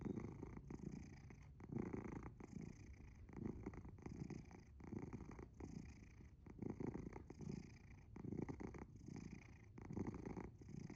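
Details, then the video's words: Very loud purring from Asher the sleeping house cat, a low throaty rumble rising and falling with each breath, roughly seven pulsing surges in a quiet room. "Purring? Or snoring? Very loud ゴロゴロ音？いびき？すやすや寝るアッシャー"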